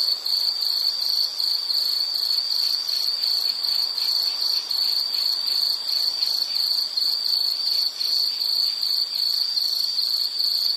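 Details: Relaxation recording of an insect calling: a shrill, rapidly pulsing trill held at one pitch for the whole stretch, with faint higher overtones.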